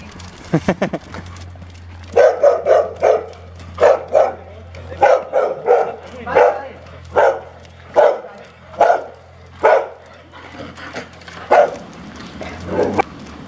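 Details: Weimaraner at a home in Rovereto, near Trento, Italy, barking while a trainer works with two anxious dogs, Frida and her son Sauro. A few quick yips open a long run of repeated loud barks, about one a second, over a constant low electrical hum.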